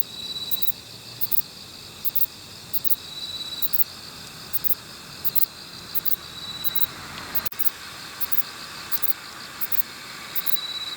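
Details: Kobane-himegisu, a short-winged bush cricket filmed near a park in Niigata, Japan, giving double and triple high buzzy chirps at uneven intervals, with a thin continuous tone from another insect and one sharp click.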